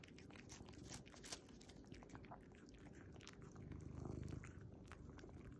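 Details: Eating a treat in his Starbucks apron, a tuxedo cat keeps up a soft, deep rumbling purr, strongest near the end, while crisp lip-smacking and chewing clicks scatter irregularly on top.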